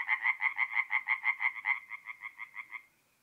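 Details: Tree frog singing at night at a forest pond in mid-April, North-East Italy: a fast run of about seventeen harsh, pulsed croaks, roughly six per second, steady then fading away after nearly three seconds.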